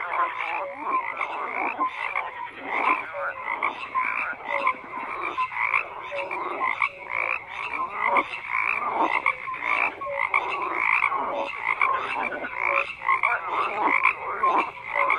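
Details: Many frogs croaking together, rapid pulsed rattles repeating in waves roughly every second, with occasional short tonal chirps threaded among the dense chorus.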